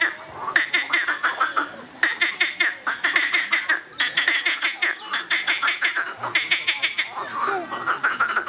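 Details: Several loud frogs calling in turns, each bout a rapid train of sharp clicking pulses lasting about a second, bouts following one another with brief gaps.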